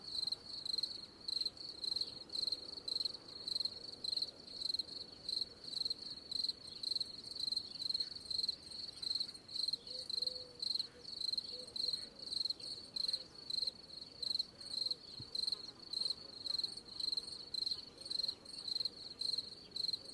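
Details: Cricket chirping steadily, each chirp a short buzzy burst of a high, thin pulsed tone, repeated roughly twice per second without pause through the whole stretch. A faint low murmur sits far in the background.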